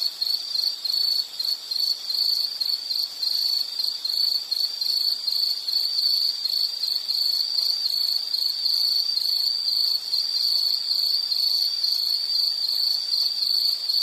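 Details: Insect calling in a relaxing nature soundscape: a continuous high-pitched shrill trill with rapid pulsing, nearly unbroken throughout, and faint background hiss.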